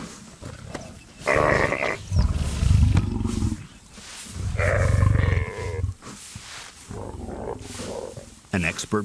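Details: A single lioness gives deep, rasping roars and throaty growls as she ambushes a big male kudu drinking from a shrinking water trench, with dramatic music and narration.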